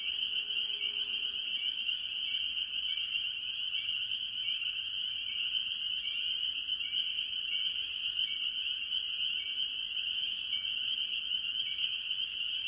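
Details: Spring peepers calling with other tree frogs at a farm pond early in the year: a dense, unbroken chorus of high, shrill peeps merging into a steady ringing band, with fainter overlapping calls beneath.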